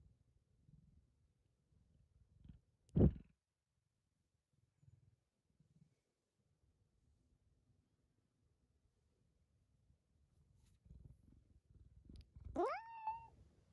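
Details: Tokiji, a pet cat and the household's second son, grows more attention-seeking while an older cat with cat-flu symptoms is isolated. A sharp short sound comes first, then quiet low rustling, then a rising, drawn-out harmonic meow near the end.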